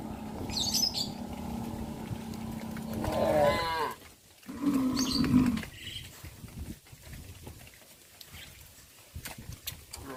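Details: Village cows on the afternoon walk to the livestock pen; one wavering moo followed by a shorter, lower one, over a constant low hum and scattered clatter.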